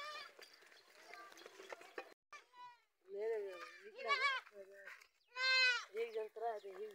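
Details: Goats, mother and young recognising by smell, give repeated trembling bleats that grow louder toward the end, including one long strong cry near five and a half seconds, with human speech in the background.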